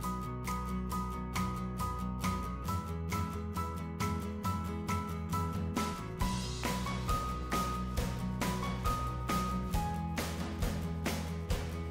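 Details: Steady rhythmic instrumental music with a regular beat and sustained tones, with no animal voices audible.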